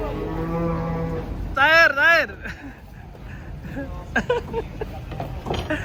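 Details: Giant cattle being unloaded from a truck: a low, steady drawn-out moo opens, then a louder, higher wavering bellow with strongly curving tones, followed by short scattered knocks and background noise.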